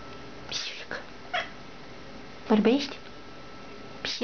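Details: Domestic cat indoors "talking" with its owner, giving one short, wavering meow that rises then falls, among brief bursts of a woman's coaxing Romanian speech.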